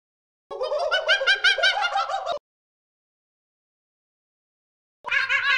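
A monkey calls with a loud, rough chattering, fast pulses that waver slightly in pitch for about two seconds. After a pause of a few seconds, a second burst of the same chatter begins.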